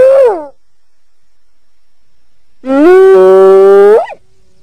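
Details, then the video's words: Hyena calls: a short falling cry, then after a pause a long, even, harmonic whooping note that swings sharply upward at its end. "Ternyata Seperti ini Suara HYENA"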